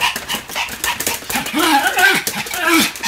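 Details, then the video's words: Pomeranian barking repeatedly as it spins at high speed; short, sharp yips with curved, bending pitch follow one another closely, with background chatter and movement noise. "超高速回転 ポメラニアン サムの連続吠え"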